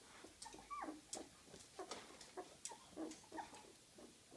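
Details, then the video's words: Small puppies of the dog Gryzia give thin, high squeaks and brief whines, some rising then falling in pitch, scattered irregularly over a few seconds with short gaps, against faint background rustling. "Małe pieski Gryzi"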